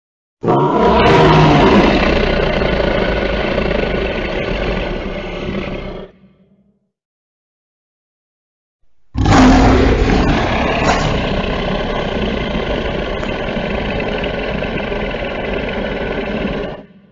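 Two long, rough lion roars, deep and rumbling, each lasting several seconds with a short silence between.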